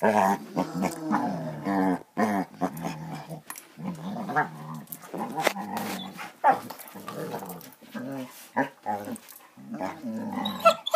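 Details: Playing Basset Hounds make a continuous stream of low, wavering growls and grumbling moans, rising and falling in pitch, with brief pauses and short sharper yaps scattered throughout; indoor sound.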